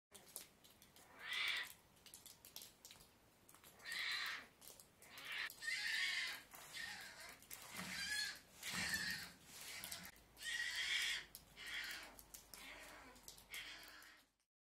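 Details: Polar bear cub in its cubbing den at RZSS Highland Wildlife Park gives harsh, breathy squalls, repeated every couple of seconds.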